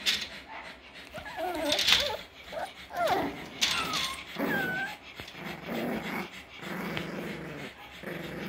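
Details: Playing puppies, six weeks old, Parson Russell and Russell Terrier litters together: small rough growls mixed with squeaky whimpers and short rising yelps, tumbling over one another, background music underneath.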